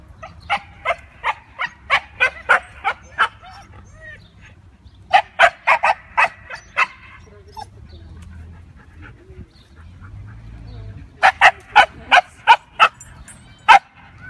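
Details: Playing Siberian Huskies, from a group named Mia, Nola, Bender, Fry and Max, bark in three rapid bursts. Each burst holds about six to ten loud barks in quick succession, with quiet pauses between the bursts.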